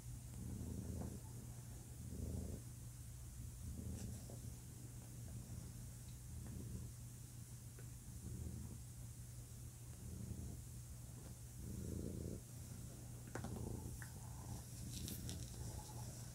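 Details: Male house cat purring steadily, its low vibrating rumble pulsing in short swells about every one and a half seconds, a few faint clicks near the end.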